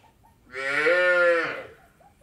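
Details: Dairy cow at an Indian farm giving one loud, steady moo about a second long, full and droning with rich overtones, rising slightly then fading, against a quiet barn background.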